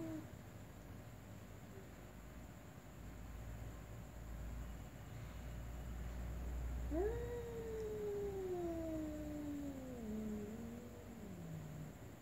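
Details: Ginger cat and black cat meowing slowly: one long drawn-out meow begins about seven seconds in, starting high and sliding gradually lower over four seconds, over a steady low background hum.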